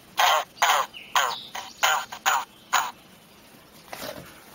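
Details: Pickerel frog call played back in a frog lesson from Highlands Biological Station, Highlands, North Carolina, likened to snoring: six short, harsh, rasping croaks, each about a fifth of a second, spaced irregularly over four seconds, then a faint trailing croak.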